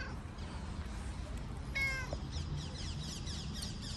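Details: Gray city cat on a car, eagerly awaiting petting and attention, gives one short meow near the two-second mark. The call is clear and harmonic, slightly falling at the end, over a steady low rumble of street noise.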